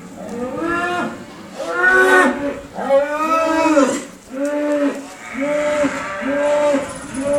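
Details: Cow recorded with a Rhodesian Ridgeback nearby: a steady series of brief, bowed, mid-pitched lowing calls, about eight in seven seconds, each swelling and fading, over a quiet background.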